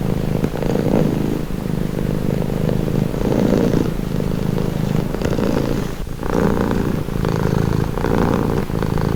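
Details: Cat purring as a calming sound; low, even rumble that rises and falls in long breath cycles of about two seconds, with a brief dip near the middle.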